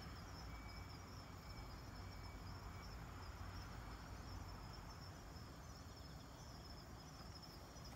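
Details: Night recording of a kanetataki cricket, 26 October 2019, made while collecting insects; soft high-pitched ticks run in a dotted stream through constant low-frequency rumble, with a fainter second high tone early on.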